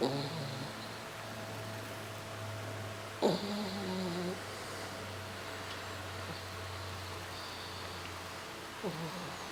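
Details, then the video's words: Four-month-old French Bulldog puppy Boeing dozing in a lap in La Jolla, giving soft snores: a brief, sharp onset that drops into a low, buzzy, wavering tone, then a long quiet gap before another, over a steady low room hum. "Boeing Snores in La Jolla"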